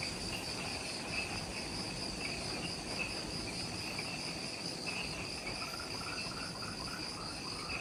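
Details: Just after sunset in jungle at the Mount Omoto trailhead, Ishigaki Island, Okinawa, Japan, insects keep up steady shrill trills in two high layers, with a quieter chirping series joining midway, above soft low rumble.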